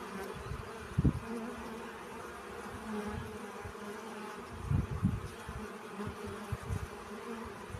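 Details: A low, humming drone of honey bees gathering pollen, steady under repeated low thuds and rustling bursts, louder around one second and again near five seconds.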